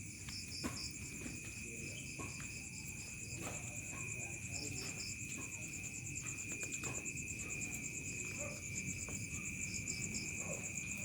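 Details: Evening cricket chorus in a quiet countryside village: an unbroken high-pitched buzzing trill, with rapid beaded chirp series dropping in and out, over a dull low rumble.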